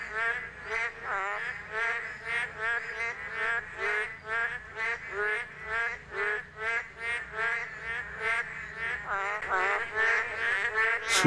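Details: A rainy-season breeding chorus of male Boreal digging frogs (Kaloula borealis): loud, nasal, bleating croaks about twice a second to attract females, males alternating "maeng" and "kkong" notes so females can tell them apart.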